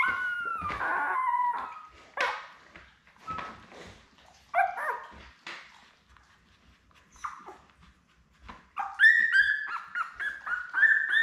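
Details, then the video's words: Indoor puppy cam with Labrador Retriever puppies born May 24, 2021 to Belle: scattered squeals and soft grunting whimpers, a quieter middle stretch, then a quick burst of high yelping squeaks near the end. "Lab Puppies LIVE STREAM Puppy Cam"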